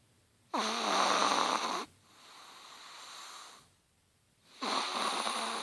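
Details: Sleeping Chihuahua snoring indoors: two loud, raspy, buzzy inhaled snores a few seconds apart, with a softer breathy exhale between them.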